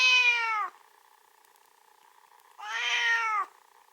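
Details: Possibly hungry pet giving two long, tonal, harmonic-rich cries about two seconds apart, each falling at the close, with near silence in between.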